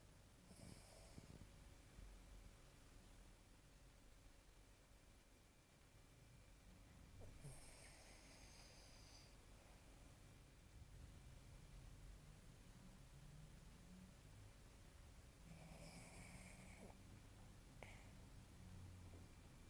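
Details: An old dog sleeping and snoring loudly: harsh, rasping snorts roughly every eight seconds over a steady low rumble of breathing.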